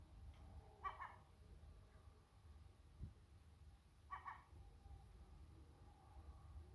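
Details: A Sacred Birman cat calls toward a seagull. Two brief, nasal-sounding calls with ringing overtones come about three seconds apart, one near the first second and one near four seconds, over a low rumbling background.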